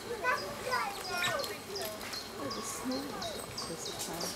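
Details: Asian small-clawed otters squealing happily while they play: a busy mix of quick high chirps and sliding, wavering squeals, about two calls a second, overlapping among several animals.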